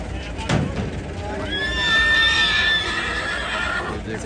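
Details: Stallion at a horse market in Jagraon, Punjab, 2023: a clear whinny with a long, level, slightly wavering tone lasting about a second and a half, heard over crowd chatter and a brief thump near the start.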